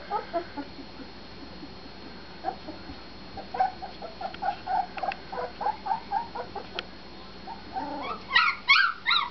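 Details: Husky puppies whimpering and yipping in short, high, rising-and-falling notes, sparse at first and then coming several per second, with louder, sharper squeals crowding together at the end.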